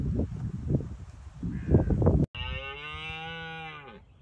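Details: A red deer stag in Bushy Park gives a rut roar, its first line of defence against rivals. Low rumbling thumps and background noise come first, then one steady, rich, harmonic roar lasting about a second and a half.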